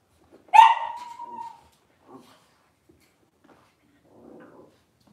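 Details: Cavalier King Charles Spaniel puppy indoors on a kitchen camera, cloudy Monday morning; one sharp, loud yelp flattening into a sustained high whine for about a second, followed by near silence with a few faint soft sounds.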